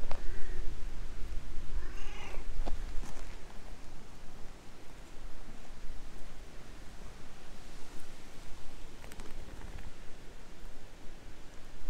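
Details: Stray cat speaking in cat language to a person who pets it until it settles on a lap; two short meows come early, the second wavering, then handling noises and rustling over low background hum.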